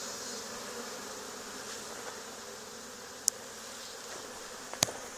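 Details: A steady, even hum from a honey bee swarm that landed on a barn wall days after a nearby hive cutout, with two brief sharp taps late in the recording.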